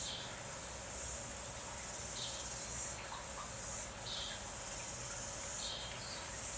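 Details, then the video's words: Rain falls steadily while cicadas keep up a piercing, high-pitched buzz, rising in loud pulses roughly every second, with a few faint softer chirps beneath. "Notice the cicadas, you can hear them now."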